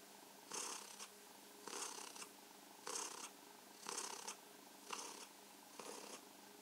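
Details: Purring from Mausi, a pet cat, during stroking and massage; six evenly spaced breathy surges about a second apart, each a rough broadband rasp over a low continuous drone.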